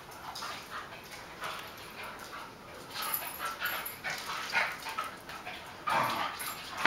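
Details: Two dogs, a beagle-basset hound mix and a chihuahua-dachshund mix, playing together in a kitchen in July; irregular bursts of short yips, whines and scuffling noises, louder toward the end.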